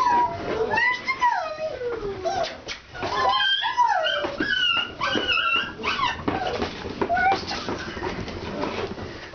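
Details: Alaskan Malamute puppies from a kennel on their first time outside, a litter yelping and whining with many overlapping high, sliding cries that rise and fall, crowding the whole stretch amid scuffling noise.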